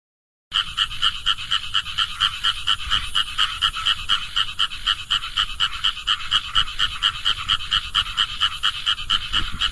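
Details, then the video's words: Asian grass frog calling in a rapid, steady series of short rasping pulses, about two per second, each with bright tones in two bands, continuing unbroken after a brief silent start. "澤蛙 Fejervarya Limnocharis"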